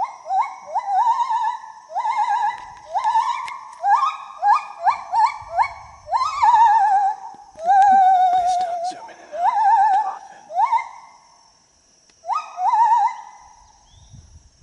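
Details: Gibbon singing among the trees: a long series of loud rising whoops, some short and quickly repeated, others drawn out with quavering trills, then a pause and a few final warbled notes.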